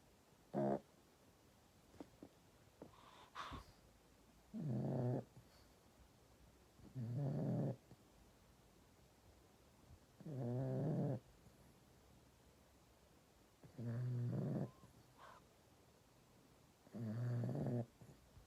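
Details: Sleeping pug Bob, a pet, snores steadily: low, buzzy, rattling snores about a second long, repeated every three seconds or so, with a few faint clicks and shuffles between them.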